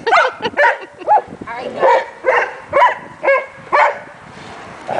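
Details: Several Leonbergers wrestling in play give short, rough barking yelps, about two per second with uneven spacing. Each bursts out with a rising and falling tone, and the last fades into quieter grumbling.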